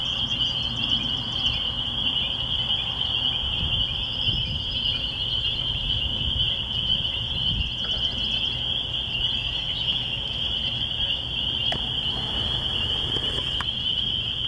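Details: Spring peepers calling in spring near a church in the country: a dense chorus of high peeps merges into one steady shrill band. Faint bird notes sound above it, with a soft low rumble underneath.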